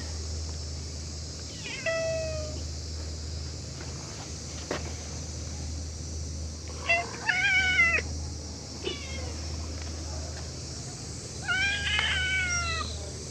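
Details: Mischievous cats crowding around a waiting room and playing together; scattered harmonic meows, some short and falling, others wavering and drawn out, separated by pauses, with a constant low engine-like hum beneath.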